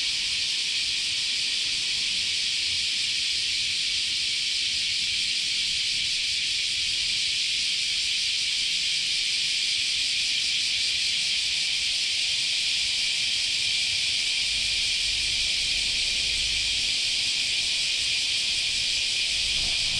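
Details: A dense, unbroken cicada chorus in Japanese summer at Chionji Temple, Kyoto, a high sizzling buzz that holds steady without pause.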